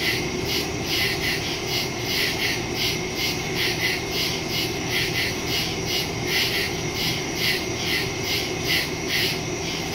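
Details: Night chorus of crickets in woodland, captured September 2, 2023 on a phone with a stereo mic: shrill pulsed chirping repeating roughly twice a second above a continuous high trill, with faint low rumble beneath.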